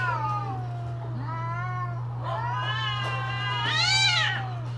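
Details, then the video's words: Mating-season cats produce a string of wavering, rising and falling yowls that build to a loud, shrill wail near the end, with a low steady hum throughout. "creepy Cats Talking"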